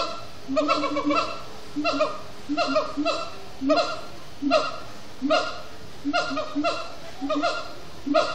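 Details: Siamang gibbons at sundown in a zoo exhibit, singing after brief frenetic play: loud barking, honking hoots in clustered bursts repeating roughly every second, with a steady rhythmic chanting pattern and faint background noise.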